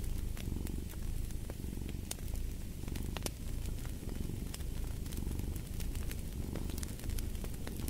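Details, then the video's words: Purring house cat, a deep even rumble that ebbs and swells in regular breath cycles, accompanied by a busy scatter of fireplace crackles and snaps. "Purring of a Cat"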